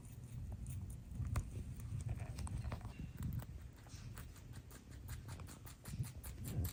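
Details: Rabbits munching a load of greens, grasses and flowers; sharp crunchy bites and chewing clicks, several per second, louder bursts near the start and end, low hum behind.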